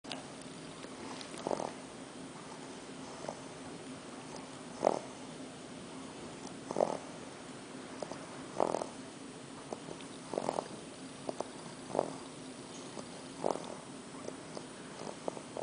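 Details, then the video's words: Arthur, an English bulldog puppy on his first night in New York City, sleeps after a long trip from Kansas, snoring in soft, breathy bursts that recur roughly every two seconds against a steady low indoor hum. "snoring Arthur"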